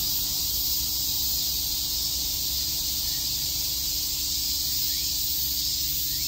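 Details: Summer cicada chorus in Tokyo's Shakujii Park, heard as a continuous shrill, even drone of many insects, unbroken throughout, over a quiet low background rumble.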